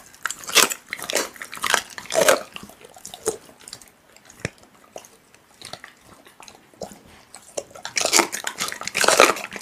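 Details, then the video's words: Close chewing from a pit bull eating raw meat: crisp, biting crunches in a flurry at the start, a quieter stretch of scattered soft clicks mid-way, then a dense burst of wet mastication at the end. "Pitbull eating raw meat Asmr"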